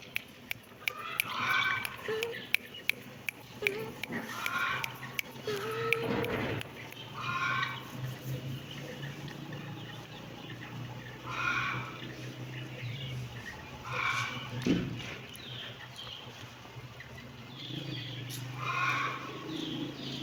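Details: Kittens give short, high-pitched mews over and over at uneven intervals. Low rumbling and scattered clicks sit underneath the calls.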